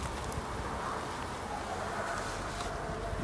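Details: Honey bees at their hives during an end-of-summer inspection on 22 September, giving a dense, steady, noisy buzz that holds without pause for the whole stretch, with no voices over it.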